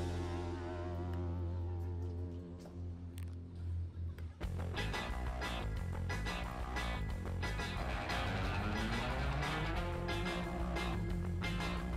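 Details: Sustained guitar tones give way to driving rock music with strummed guitars and drums, with no animal voice.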